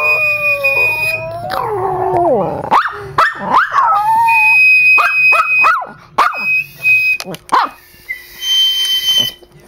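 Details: Trooper, a pet dog, howls along to flute and piccolo: wavering, sliding howls that climb and fall, then short yelping bursts, over steady high held flute notes.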